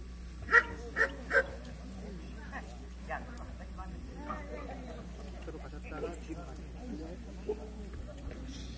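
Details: Young female Jindo in the junior female class at the 66th Korean best Jindo dog selection show in Korea: three sharp, loud barks in quick succession over the first 1.5 seconds, then a low hum, faint talk and hall noise.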